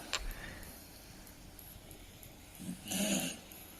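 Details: A sleeping dog lies quietly, takes a soft breath, then gives one raspy, rough snore near the end. There is faint room noise around it.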